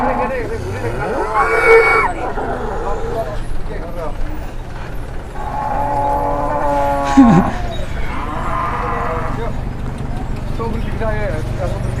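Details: Big newly arrived cattle led out of the pen for the first time, one unruly: several moos, one rising then held, set among men's talking voices and background clatter.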